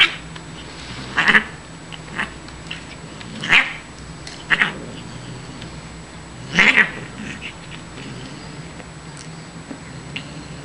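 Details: Shiloh, a pet female Siamese cat, calling out during indoor play with a chewed feather toy; four or five separate strained meows, brief and scratchy, with long quiet gaps between them and a faint background hum.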